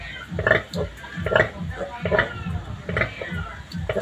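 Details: Native sow grunting after giving birth to a large litter of piglets: short, regular low oinks about every 0.7 seconds with some higher squeaky overtones, and faint human speech behind.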